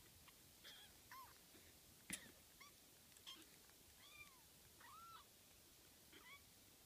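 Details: Baby cats frolicking, recorded 12 June 2014: several short, high mewing calls with arched, rising-falling pitch, scattered through the stretch at irregular intervals, one sharp click near the middle, over a quiet hiss.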